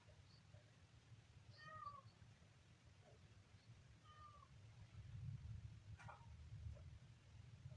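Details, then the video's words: High-pitched kitten meows: two clear, slightly falling mews a couple of seconds apart, then a brief sharper squeak, against a constant low background hum. "kitten funny sound"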